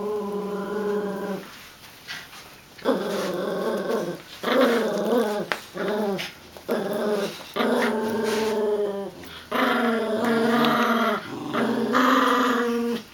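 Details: Growls from Filé, a golden retriever puppy, and Sonic, a chihuahua-dachshund mix, pulling on a toy in a tug-of-war game; long rough harmonic growls, several in a row, broken by short quiet gaps, indoors.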